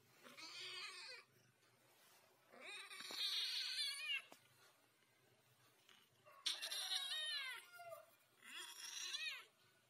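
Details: Talking ginger cat indoors giving four drawn-out, strongly harmonic meows, each about a second long and rising then falling, spaced two to three seconds apart with quiet pauses between.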